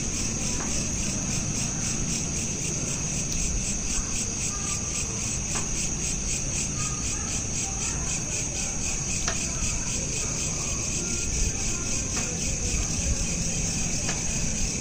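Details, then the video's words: Crickets at night, smartphone recording: an unbroken high, rapidly pulsing chirr runs throughout, with occasional faint short tones and sharp clicks over a low rumbling background. "Night Lamp Ambience with Crickets"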